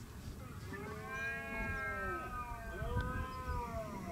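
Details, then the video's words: Red deer during the rut at Acrijos, Soria, on 29 September 2017: several drawn-out, tonal bellows overlap, each rising then falling, with a rumbling low background throughout. "VENADOS EN LA BERREA"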